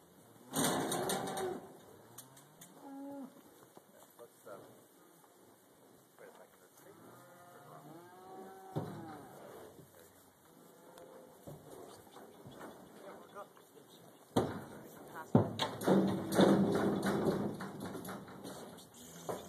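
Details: Black Angus cows being loaded onto a trailer at a leased property for a short road haul back to the main farm; several low, drawn-out moos with curving harmonics, mixed with loud metallic clangs of gates and trailer and brief speech.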